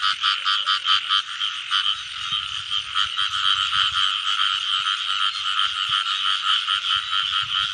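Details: Frogs calling in the rain season while being caught: a dense, continuous chorus of pulsed, rattling croaks that pulse in quick bursts early on, then settle into a steady buzzing wall of sound, with low thumps from handling underneath.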